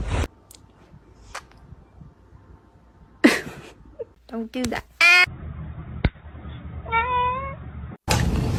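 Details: Domestic cat with short meows amid a person's speech: a few brief clipped cries, then a clear wavering, rising-and-falling meow, with clicks and bursts of talking around them.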